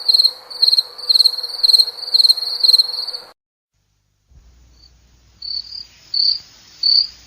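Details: High, ringing cricket chirps in quick pulsed bursts, about two per second, then a sudden break of near silence before softer, more spaced chirps start again.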